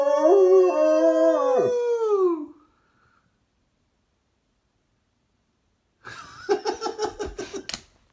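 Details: A female German Shepherd howling along to the song YMCA gives a long, wavering howl that slides down in pitch at the end.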